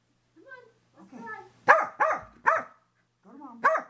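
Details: Post-bath frenzy of a female Corgi indoors, helmet camera on the floor: soft whines and voice-like sounds, then three rapid loud barks in a burst and a final bark after a brief gap.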